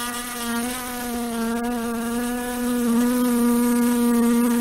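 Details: Droning hum of a flying housefly, the steady buzz dipping slightly in pitch early on, then rising a little and growing louder toward the end, layered with bright overtones throughout.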